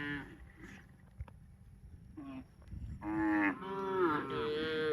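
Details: Cow calling repeatedly: a short moo, then two long, loud, harmonic moos in quick succession, the last rising slightly in pitch, with faint rustling between calls.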